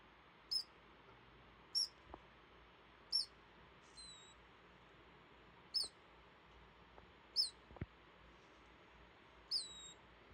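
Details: Sleeping male degu Rio, relaxed and half-buried in timothy hay, snores in tiny high-pitched squeaks, a short chirp roughly every one and a half seconds, some trailing into a falling whistle, over faint hiss.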